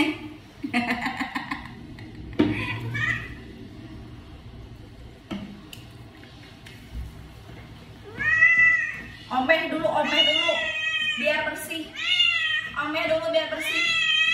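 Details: Owie, the odd-eyed cat, angry: quiet murmurs at first, then a run of loud, bent, rising-and-falling caterwauls repeated one after another in the last seconds, with voices talking in the room.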